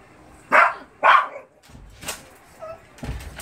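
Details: Shih Tzu named Semi, left home on a rainy day while housemates Lotto and Hana went to the groomer, searching and waiting for them: two short whiny barks half a second apart, then faint clicks and shuffling.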